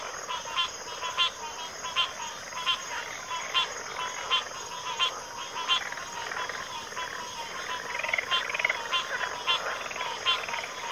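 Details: Backwater frog chorus with overlapping rapid clicks and rattling trills, several frogs calling at once and thickening toward the end, steady high insect drone behind.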